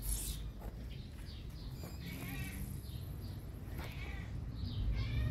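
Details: Several short, high-pitched cat mews in quick succession, thin and squeaky, repeated irregularly over a noisy background hiss.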